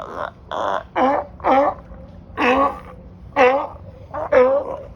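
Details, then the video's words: Sea lions crowded on a California dock at Marina Del Rey bark loudly, a quick run of raspy, harmonic honks, some short and some drawn out, spaced under a second apart. "LOUD SEA LIONS & SEALS"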